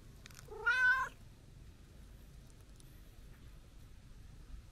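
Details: Chatty, affectionate brown tabby-and-white stray cat greeted on a New Year visit gives a single loud, bright meow with a wobbling pitch, lasting about half a second, followed by near silence.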